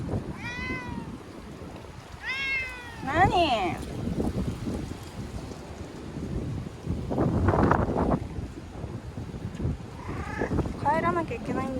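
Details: Chanta, a frightened ear-tipped street cat in Okinawa, wails while being sheltered in a bathroom ahead of Typhoon No. 10, September 2020. Two long bending meows, then a sharply falling cry, later a few short strained calls amid background noise.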